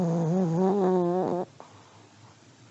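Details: Old Pomeranian sleeping and snoring: a wavering, whistle-like nasal tone with strong harmonics lasting about 1.4 seconds, wobbling in pitch, then cutting off into quiet room hush.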